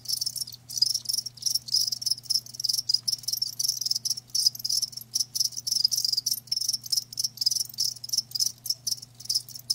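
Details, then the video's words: Live crickets produce a high, rasping pulsed chirping, bursts arriving in quick clusters separated by short silences, accompanied by a steady low hum. "Live Crickets 60min "Natural Sound""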